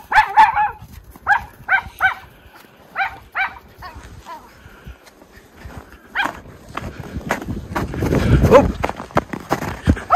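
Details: Miniature Schnauzer brothers at play in deep snow in their Aroostook County, Maine yard in February; a run of quick barks in short bursts early on, then snow crunching and rustling, with a further bark near the end.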